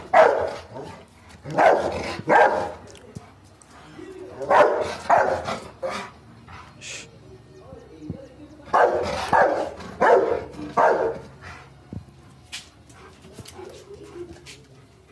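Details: Rottweiler and German shepherd in a morning fight, with barks and growly snarls in loud clustered bursts, pauses between flurries, and faint voices in the background.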